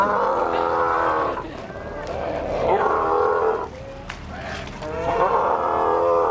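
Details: Sea lions at Ushuaia, Argentina give loud, wavering, goat-like bleats in three long bursts with short pauses between.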